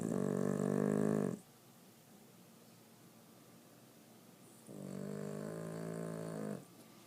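A Boston Terrier snores in long, rumbling, harmonic-rich breaths separated by quiet pauses.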